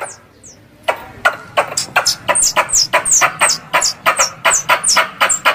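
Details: Squirrel sounds played as a hunting lure in Indonesia: after a quiet start, a fast run of sharp high downward chips, each with a clicking broadband edge, repeats about three times a second.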